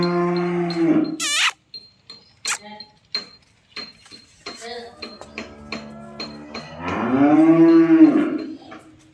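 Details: A cow at a dairy farm in Khulna, Bangladesh, offered for sale along with a bull calf, gives a low harmonic moo, then a series of clicks and knocks, and finally a long swelling moo that rises and falls.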